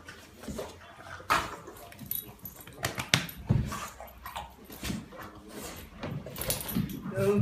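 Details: A French Bulldog gives excited whines, yelps and snorting bursts while greeting its owner, who has returned after weeks away; the dog seems to lose its breath.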